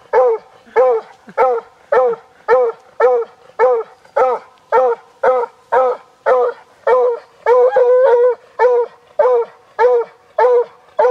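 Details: Rescued Walker Hound named Darby baying at a deer he has spotted, summer 2012, Preservation Park in Guelph, Ontario; a steady run of about twenty resonant, slightly falling bays, nearly two per second, with a brief blurred double bay near the end.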